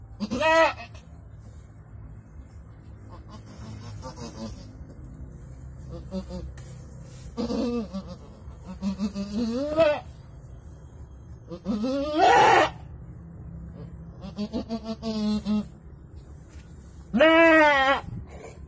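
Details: Goat giving birth to two kids, calling in scattered bleats: several short wavering cries spread over the recording, two louder rising ones standing out, with quiet background murmurs and faint voices between them.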